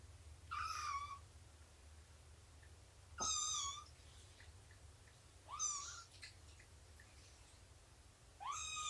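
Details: Domestic cat indoors during a morning of snuggles, nursing and play time, 24 September 2017: four clear, high, drawn-out meows, each bending up then sliding down, spaced roughly two to three seconds apart over a low steady hum.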